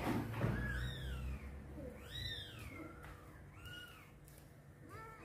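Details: Mother cat carrying her kitten for the first time after birth, indoors; a series of high, arching mews rises and falls about three times in five seconds, with a low hum behind and faint handling noises.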